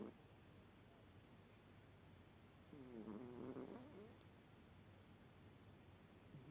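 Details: Sleeping cat giving one drawn-out, wavering snore of over a second midway through, a low throaty rasp with a faint tonal edge, otherwise only soft room hiss.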